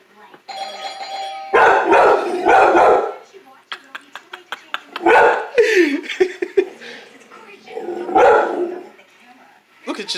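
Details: Indoors, a doorbell chime sets off a house dog that hates it: harsh, raspy screaming bursts in repeated waves, broken by brief yelps, while a person talks over the noise.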